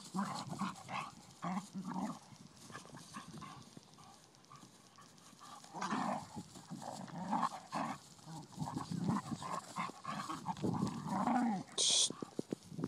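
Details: Blue nose Pit Bull puppy, ten weeks old, at play with a five-year-old Vizsla; gruff, throaty growls and snorts come in irregular spurts between quieter scuffling, with a short high squeak near the end.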